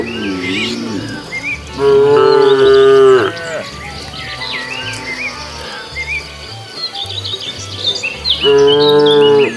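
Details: Cows wandering along a road hunting for food give two loud, even moos several seconds apart, with a softer wavering call at the start, high chirps between and a steady low pulsing beat underneath.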